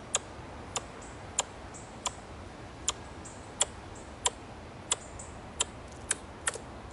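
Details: An Ezo squirrel in a green park gives sharp, dry, tongue-click-like chucks about every half second, probably a threat call, possibly irritated at being watched for a long time.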